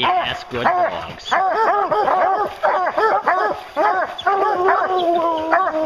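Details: Several hounds chasing a bear bark hard and fast, a tight run of arched yelps. It ends in a long, level drawn-out bawl.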